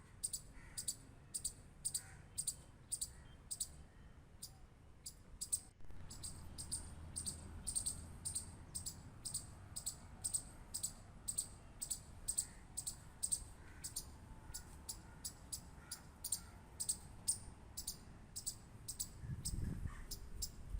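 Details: Squirrel clicking: sharp, high, short clicks, often in pairs, repeated steadily about twice a second over a faint low background rumble.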